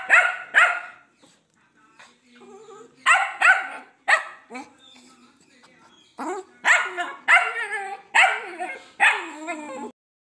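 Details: Dachshund at play with its owner, giving loud, bright barks and yaps in pairs and clusters separated by brief pauses, with some softer human speech between the bursts.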